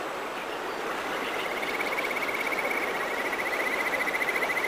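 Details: Kajika frog (Buergeria buergeri) gives a fast, sweet, bird-like trill over the steady rush of a mountain stream in the countryside; call.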